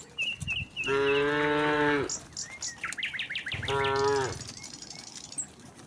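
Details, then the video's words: Docile cattle walking together in a village herd toward their pen: two deep lowing moos, the first about a second long and the second shorter, with whistled bird notes and quick chirps in between. "suara sapi moo"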